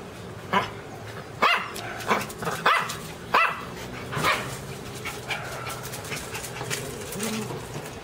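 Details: A few sharp, high barks from Teco the Pinscher in the first seconds, then quieter, scattered yaps fading into background noise.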